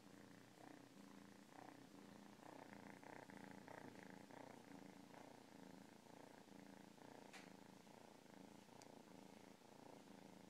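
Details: Domestic cat's close, continuous purr, a buzzy low drone that waxes and wanes with slow breaths, with one brief sharp click late on.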